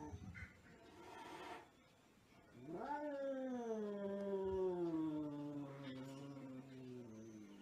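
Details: Angry cat giving a long, low growling yowl that rises sharply then slowly sinks over about four seconds, preceded by brief scuffling noises, in a compilation of crazy cats.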